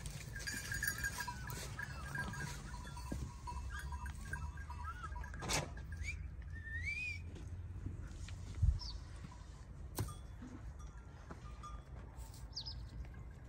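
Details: A grazing flock of sheep, goats and lambs gives wavering bleats over a steady low rumble.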